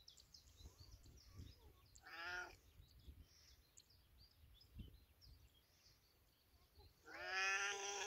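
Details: Cat in village life gives two clear meows, one short early call and a longer, louder one at the end, over low rumbling background noise and faint scattered knocks.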